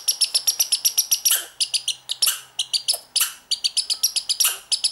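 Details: A young American red squirrel, born this year, gives rapid high-pitched chirps broken by longer downslurred squeals, unusual behaviour lasting 2–3 minutes; the observer rules out a mating ritual because of its age.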